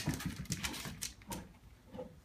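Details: Oreo, a dog, playing fetch with a ball, gives a quick run of short whimpering, huffing bursts over about two seconds while a person cheers him on between throws.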